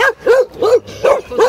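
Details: Annoying neighborhood dogs barking in a fast run of five clipped, mid-pitched barks, each following the last after about a third of a second, with a faint low hum underneath.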